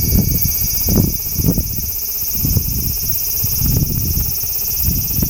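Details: Large brown cicada tucked under a loquat branch, giving a constant high sizzling drone, accompanied by recurring low thuds and rumbles of nearby noise.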